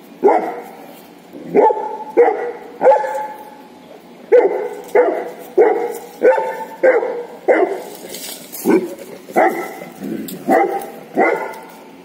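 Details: A female Saint Bernard barks to invite a cow to play, giving a long series of about fifteen deep, full barks, often in pairs or triplets, fairly steady with short pauses.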